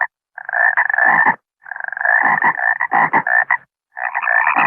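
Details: Frog croaking, called a water frog or bangkong, in bursts of rapid pulsed, harmonic-rich croaks lasting about a second each, separated by short silences; no other sounds.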